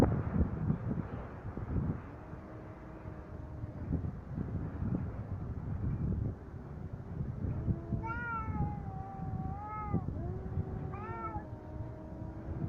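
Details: Fighting cats heard through steady low rumble: faint sustained moans early on, then after eight seconds a louder series of wavering, rising-and-falling yowls with strong overtones, two voices overlapping.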